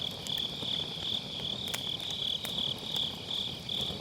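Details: Autumn-night grass insects sing near a crackling wood fire in a round fire pit, MKE600 microphone: a high, bright trill rises and falls in quick pulsing bursts, with occasional snapping pops from the burning logs.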